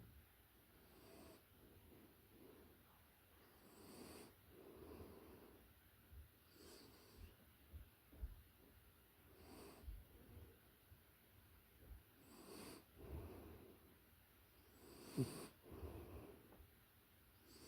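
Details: Sleeping puppy heard close, faint wheezy breathing and soft snorts recurring every two to three seconds, one sharper snort near the end, low room hiss throughout.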